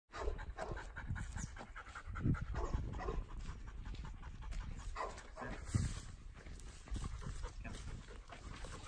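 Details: Dog panting, one of two dogs trained for obedience and steadiness to gunshot; quiet, breathy, rapid puffs of breath set against a heavy low rumble of outdoor noise, with no barking.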